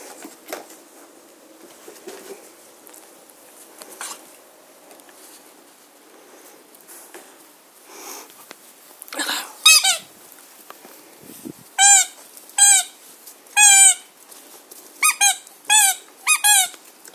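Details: German Shorthaired Pointer puppies from a litter playing in a garden on 22 September 2016. Rustling and soft noises give way to a quick run of high, harmonic squeaks and yelps, about seven in the last six seconds.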